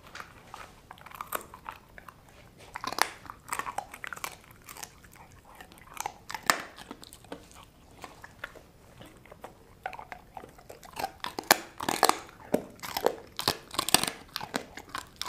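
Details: A dog named Sasha crunches dried kangaroo bone and jerky, kangaroo chews from Australia. Steady crisp cracking bites repeat throughout, bursts coming roughly every second, with a dense run of loud crunches toward the end.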